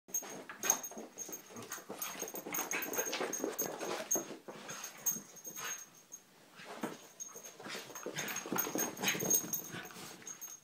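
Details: Terriers, three dogs indoors, making a busy run of short whining and snuffling sounds with breathy panting, fairly dense and irregular throughout, with a faint steady high tone in the background.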